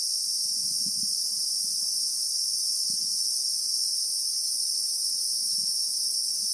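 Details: Bushveld Christmas beetle chorus from South Africa: an intense, constant high buzzing whine fills the clip, while scattered soft low knocks and rustles sound underneath.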